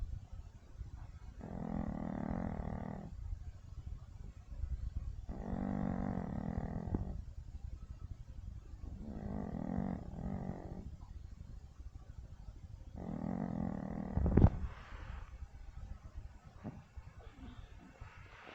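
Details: Blossom, a Yorkshire Terrier, snoring loudly during sleep: four long, rough, low rumbling snores at regular intervals about four seconds apart, followed by a sharp knock and shuffling sounds as she is told to wake up.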